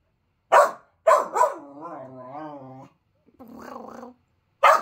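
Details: A 5-month-old male Finnish Lapphund puppy gives sharp, sudden barks, lower-pitched than his usual excited bark, with a wavering, moaning grumble in between; he seems cross about a toy being put away.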